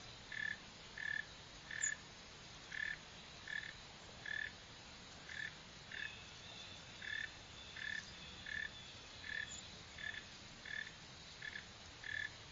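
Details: Mole cricket, Northern species (Neocurtilla hexadactyla), seen digging and running, repeats a short burred chirp roughly every three-quarters of a second, some sixteen times, with quiet background noise throughout.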